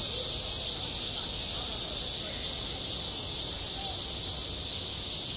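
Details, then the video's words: On a school playground in high summer, cicadas keep up an unbroken, high, hissing buzz with a faint rhythmic throb near its top edge and scattered faint lower sounds. "한 여름 운동장에서 매미가 울고 있다"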